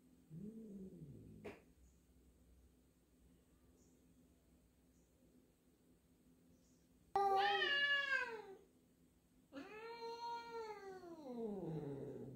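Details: Indoor meeting of a black cat and a new black-and-white cat, one wary of the other; a short low meow, a long pause, then two loud harmonic-rich meows, bending upward and sliding down, the last one long and drawn out.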